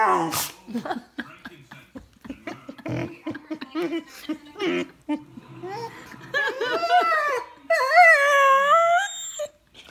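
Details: Vizsla dog, overjoyed while receiving kisses from its owner, first mixed with a woman's soft talk, then breaking into high, wavering whines that rise and fall, growing louder toward the end.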